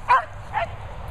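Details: Cocker Spaniel playing with a Vizsla at a countryside kennels in Worcestershire, England; two short, sharp barks about half a second apart, the first louder, over a low background rumble.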